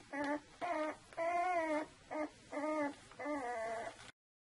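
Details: Two-week-old Saluki puppies of the Vision litter whimpering: a series of six tonal, slightly wavering cries, each under a second, the longest drawn out and falling, with short pauses between.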